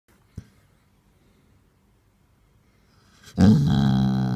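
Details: Grumpy basset hound wanting attention: after three seconds of near silence and a single knock, a loud sustained low grumbling moan begins, rich in harmonics and holding steady to the end.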